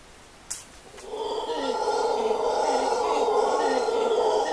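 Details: Guatemalan black howler monkeys at La Ensenada, Costa Rica, in January 2013 give a deep, rough, sustained roaring howl that swells in after a brief pause.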